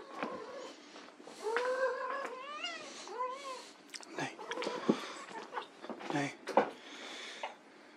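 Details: White Persian kittens playing in a room: several short, bright meows, a couple with wavering, stepped pitch, half-buried under a nearby human voice, thumps and handling noise.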